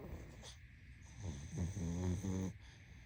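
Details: Pug sleeping, breaking into a quick run of short snorting, snuffling pulses, about five in a second and a half, rising to a buzzy rattle, over a steady background hum.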